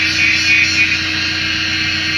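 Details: In dense jungle trails of Bach Ma National Park, Vietnam, a cicada drones in a loud, steady, high-pitched buzz without a break; it is mating season, cicadas calling to mate.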